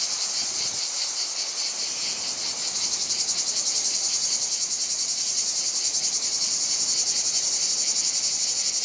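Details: Chorus of many cicadas in the heat of a Provençal summer in France, a loud sustained high-pitched buzz that pulses quickly and grows more strongly rhythmic after the first few seconds.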